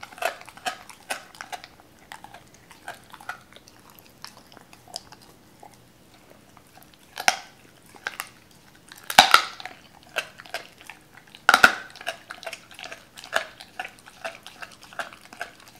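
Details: Cola the Doberman working on raw chicken pieces torn apart by the owners: rapid wet smacking at first, then quieter gnawing, with two loud crunching bites and brisk chewing to finish.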